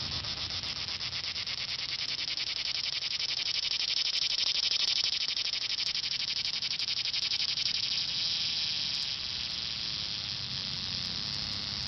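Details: A cicada in summer gives a loud, continuous high-pitched buzz, steady and shimmering without a break.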